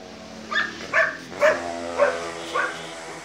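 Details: Great Dane puppy giving five short, bright yapping barks spaced about half a second apart, each a brief harmonic-rich burst over a faint steady background hum.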